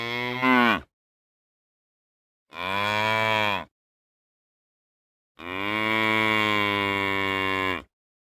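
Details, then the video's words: Cow moos in a compilation of real cow sounds: three separate moos split by silent pauses, the last one longest at over two seconds, each full and harmonic. "Real Cow Sounds | Cows Mooing"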